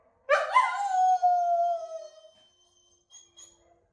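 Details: A single two-second howl from Yumir, a blue solid female wolfdog of the Noble Shepherd line, opening with a bright attack and then holding a clear tone that slowly falls and fades into quiet.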